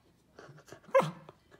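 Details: Buddy, a Samoyed puppy learning to whisper on cue, lets out one short, hushed, breathy woof after a person's prompting words. Faint voice sounds come before it.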